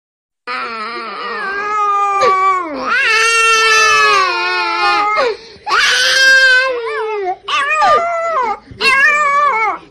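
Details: Puppy crying: long, high, wavering whimpers and wails, some sliding up and down, in sustained bursts with short breaks near the end; no other clear sounds.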